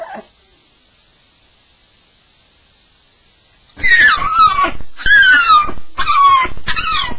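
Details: Staffie having a nightmare on its first night: after a long silence, several sharp high yelps with steeply falling pitch come in quick succession.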